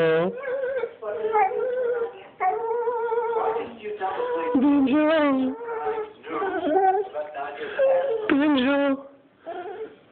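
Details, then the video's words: A dog named Banjo, left behind while his owners travel to Switzerland, wails continuously indoors: strong harmonic howls, wavering and sliding, running almost without break across the clip with brief gaps. "Banjo the crying dog"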